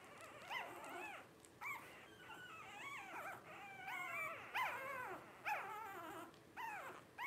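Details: A litter of five Blenheim Cavalier King Charles Spaniel puppies at 12 days old, born New Year 2023, produce bursts of high, bending squeals and whimpers in quick succession, overlapping one another.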